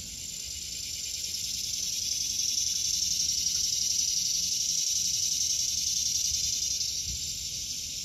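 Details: Cicada singing in a vegetable garden in August 2023: a loud, steady, hissing buzz that swells over about three seconds and then holds high and even, above a fainter background drone of other insects.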